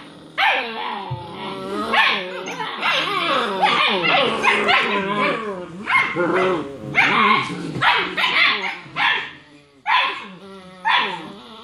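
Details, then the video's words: Six-week-old German Shepherd puppies, a litter of three males and four females, play fighting after dinner; overlapping high yips, squeaky whines and short barks tumble over one another almost continuously, with brief pauses near the end. "6 Week Old German Shepherd Puppies Play Fighting"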